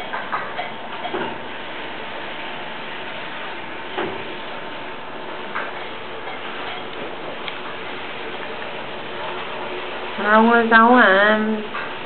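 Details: Near the end a Tibetan Mastiff lets out a loud, wavering, strongly tonal whine lasting over a second, rising and falling in pitch. Before it come clicks, ticking and faint household noise in a small room.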